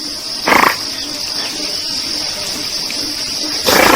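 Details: A group of wild giant otters in the Brazilian Pantanal, from a 2002 nature soundscape collection: two harsh, broadband bursts, one near the start and one at the end, over a steady high-pitched insect drone.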